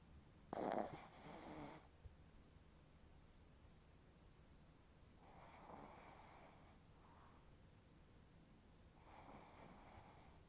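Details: Chihuahua snoring in deep sleep, nose twitching: three breathy, hissing snore exhales spaced about four seconds apart, the first loudest, in a quiet room.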